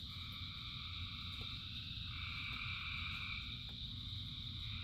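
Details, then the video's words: Dense chorus of many frogs calling together in rain, a continuous layered trill in several bands from mid to high pitch, steady throughout, over a low rumbling wash of rainfall, with a few faint brief clicks. "Frogs in Rain 2 Hours of Frogs, Thousands of Frogs Singing"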